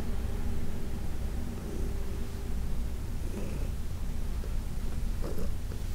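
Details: Senior cat Heidi, about 14 and adopted from the Humane Society of New York City, purrs while being massaged; continuous deep buzzing rumble with a brief faint rustle near the end.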